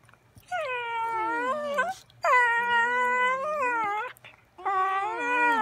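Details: Dogs singing indoors: three long drawn-out tonal howls, each about one and a half seconds, rich in overtones, sliding gently downward then leveling off, separated by brief pauses.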